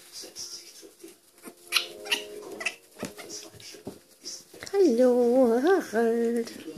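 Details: Baby raccoons during a hand-feeding indoors; a young raccoon gives a loud, wavering, cat-like whine that rises, dips and rises again over about two seconds, after soft chatter and a human voice talking gently to the animals.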